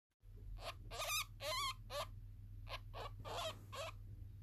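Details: A newborn male ferret kit "sings" in its sleep, giving thin, high squeaks and wavering chirps over a low hum.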